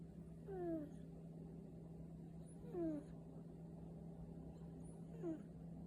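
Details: Sleeping cat snoring softly: a thin, falling whistled squeak with each breath, three of them roughly two seconds apart, over a steady low electrical hum in a quiet room.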